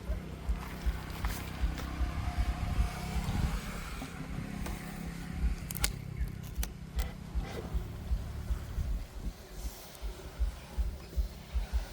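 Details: Low engine rumble from a car dominates, mixed with music, brief voices and a few sharp knocks.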